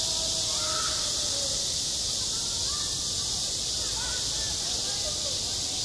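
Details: A high, hissing wall of cicada song on a school playground in high summer, steady throughout, with faint wavering sounds, possibly voices or birds, in the background.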